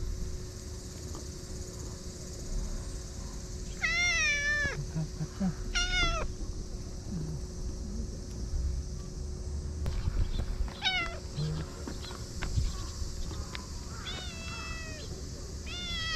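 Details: Evening at a fishing port in Japan, where stray cats crowd in for attention and rub affectionately; a series of short, bright meows from the cats spaced across the recording, with a constant low hum and outdoor background rumble.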